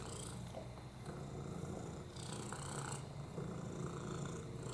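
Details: Lap cat purring, a male rescue with FIV, a broken hip and upper respiratory infections; deep, even rumbling purr sustained for several seconds, with light breathy hiss above it.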